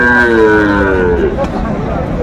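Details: Sahiwal bull calves at a cattle market, bought by a farmer from Faridpur, 5 January 2025; one drawn-out, slightly falling tonal moo lasting over a second, then haggling voices and market chatter.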